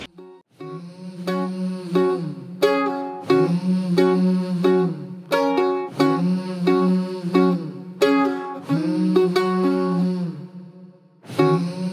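Plucked string music with a steady melody and hummed tones; no animal sounds are heard.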